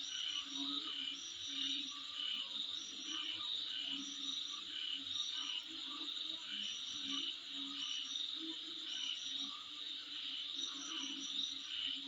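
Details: Insects calling in front of a home: a steady high, shimmering buzz runs throughout, with short chirping bursts repeating above it and softer croak-like pulses lower down.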